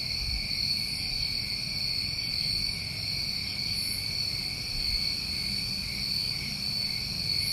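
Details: Steady trilling chorus of New England summertime crickets at night, several continuous high-pitched layers sounding together without pause, with soft brief higher swells and a faint low background rumble.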